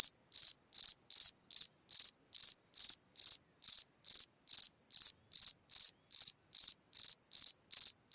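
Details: Night chirping of a cricket in a hole in the ground: bright, high trilled chirps, each a quick cluster of pulses, repeated steadily about twice a second for the whole stretch, with nothing else audible.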